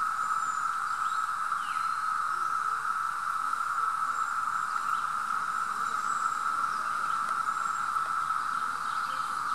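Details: A Brood V periodical cicada chorus at Mohican State Park on June 4, 2016 holds a steady, droning hum at one pitch without pause.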